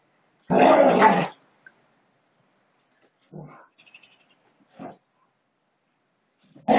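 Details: Husky dogs in a friendly scuffle: one strong, coarse growl near the start, then quiet with a few soft grumbles and a brief snarl, another growl beginning at the very end.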